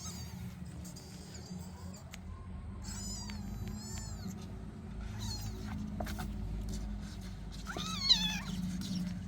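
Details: Kittens playing indoors with other cats present: several thin, high meows with wavering pitch at intervals, the last one louder and falling, over a steady low hum and background noise.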